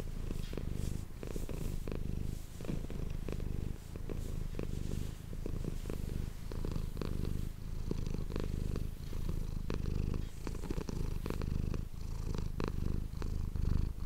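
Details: Manis, a pet cat, purrs continuously into an ASMR microphone, a deep, even rumble that swells and eases with each breath, with scattered faint taps and rustling throughout.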